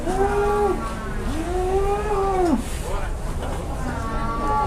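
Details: Cattle at a sale, being bargained over: two long, low moos that rise and then fall, with fainter lowing at the end. Voices and market hubbub are heard underneath.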